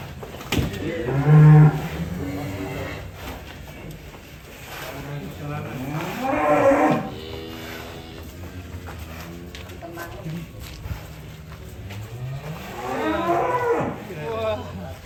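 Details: Giant fattened show cow named Farel in Indonesia, described as nearly the size of an Outlander car. Three deep, drawn-out moos come at roughly five-second intervals, each a low harmonic bellow, with people talking nearby and faint music.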